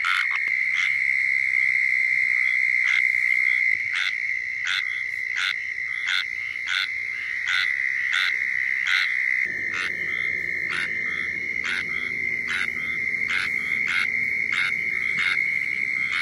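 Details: A squirrel tree frog in Florida gives its mating call, short raspy calls in a quick steady series over a constant high insect drone.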